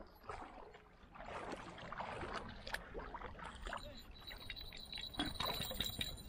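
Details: Irregular splashing and sloshing of water, like paddling, with faint rustles and no clear animal voices.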